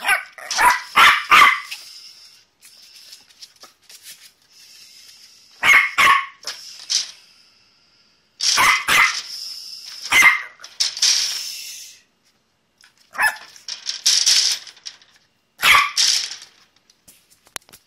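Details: West Highland White Terrier at a kennel, at play while discovering the big world outside; bright, high yapping barks in quick clusters, often doubled, separated by short pauses, with a steady high hiss underneath.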